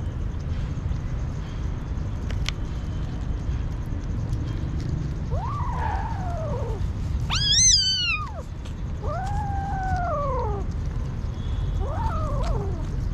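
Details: Hungry street kitten meowing repeatedly: drawn-out arching mews that rise then fall, one loud high-pitched strained cry in the middle, spaced a second or two apart over a steady low background rumble.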